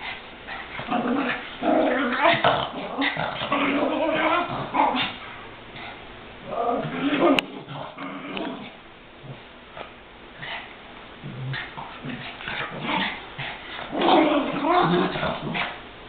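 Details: Two or more pet Chihuahuas, one called Goofy, play-fighting; bursts of snarling growls and yips separated by quieter gaps, a click midway, with human speech mixed in.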